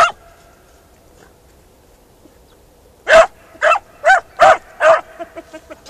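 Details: On ploughed farmland a Beagle Harrier breaks three seconds of near silence with a quick series of five loud, tonal barks, trailing into a few softer yips at the end.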